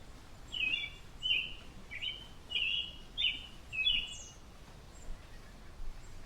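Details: Chipmunk family startled by a droning airplane: a clear run of six loud, sharp chirps roughly every half second to second, each slightly sliding, followed by a faint higher note, background hum soft.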